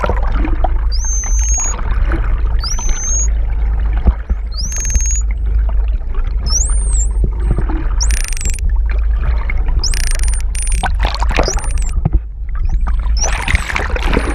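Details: Hawaiian false killer whales, a mother and calf pair off Oahu, recorded in underwater close-up, trade high, upswept whistles over a deep underwater rumble.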